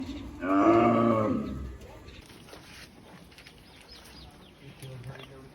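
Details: Cow mooing in a single drawn-out, low, droning moo lasting just over a second, with a rich buzzy tone, followed by quieter background noise and faint rustling.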